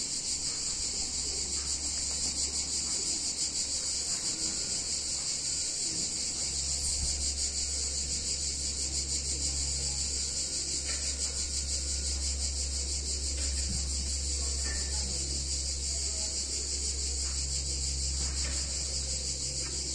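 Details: Cicadas singing on a hot summer day in a picturesque Italian town: a dense, shrill, unbroken buzzing drone that holds steady throughout, with a faint low hum underneath.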